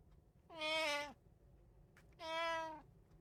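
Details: Indoor pet cat, one of three living together in a Japanese household, filmed on 8 May 2024; two clear harmonic meows, each about half a second long and steady in pitch, separated by a short pause, with a faint low room hum underneath.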